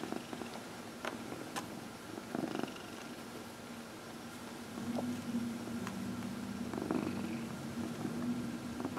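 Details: Domestic cat, one of four, purring while massaged: soft low purr that grows fuller and more pulsed in the second half, with scattered taps and rustling from touch.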